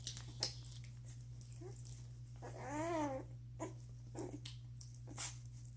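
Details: Doberman puppies one week old, feeding and sleeping; a clear rising-then-falling wavering whine near the middle, flanked by soft grunts, clicks and a steady low hum.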